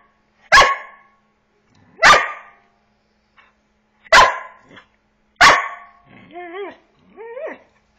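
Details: Eight-month-old Border Collie corVata asking his owner to play, giving four loud sharp barks roughly every one and a half seconds, followed by two short wavering high whines.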